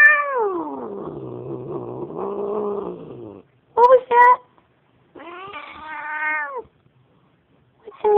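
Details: Domestic cat growling at a dog it finds scary: a long low harmonic moan sliding down and wavering, then short bursts and a rising-falling wail, with a woman talking softly between.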